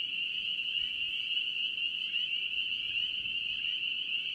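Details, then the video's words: Spring peeper frogs in North Carolina, a dense chorus of many callers merging into a steady, shrill, high-pitched ringing with no breaks, faint low rumble beneath. "NC Peeper frogs"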